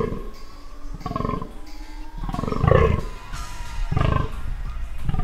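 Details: A spotted fallow deer buck (Dama dama) gives deep, belching rutting groans in short repeated bursts during the 2017 breeding-season rut at Onga Onga.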